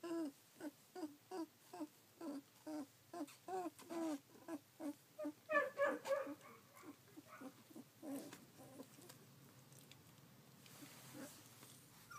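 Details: Collie puppies at sixteen days old, 3 June 2013, whimpering in a steady rhythm of about three short nasal cries per second, growing louder midway, then fading to scattered faint whimpers.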